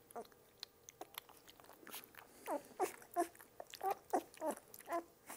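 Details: Two-week-old puppies indoors receiving their first routine butterscotch-flavored dewormer; a quick run of thin, high squeaks and whimpers, several per second, mixed with soft clicking and licking sounds in a small room.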